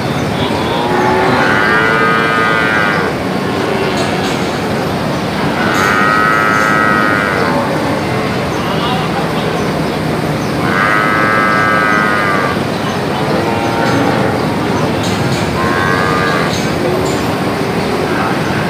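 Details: Brahman and Limousin calves lowing about every five seconds, each moo a bright, nasal, harmonic bellow of a second or two, over a loud constant rushing noise.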